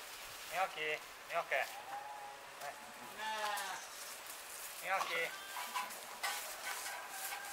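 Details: Romanov sheep, a six-month-old bottle-fed lamb among a flock resting by the hay barn outdoors on a 26-degree day: wavering, harmonic bleats in short bursts, mixed with a man talking nearby.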